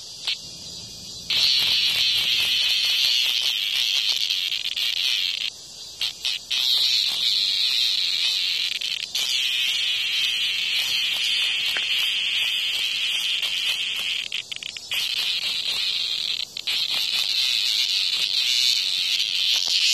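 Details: Hornet attacking a cicada outside a house; the cicada's shrill rasping buzz starts, cuts off briefly several times, and resumes at full strength in long loud stretches.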